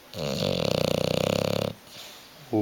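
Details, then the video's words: Hugo, a pet bulldog asleep on the sofa and unwilling to wake or move, snores in one long buzzy, rapidly pulsing rattle lasting about a second and a half. A short spoken word follows indoors. "Hugo the snoring bulldog"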